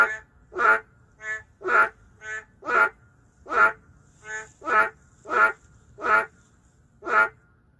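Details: City-dwelling boreal digging frogs, an endangered species, in a lively exchange of about eleven loud harsh croaks with softer nasal calls interleaved, quickening at times to nearly two per second.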